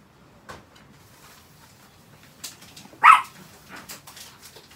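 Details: Pet Chihuahua being cared for at home gives a single sharp, loud bark midway, with a few soft yips and light indoor rustling and clatter around it.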